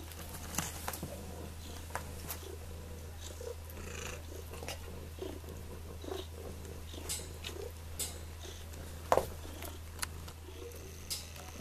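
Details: Domestic cat at a pound in Sullivan, Missouri, awaiting adoption, purring: a steady, deep, continuous hum throughout, with scattered clicks and light handling noises.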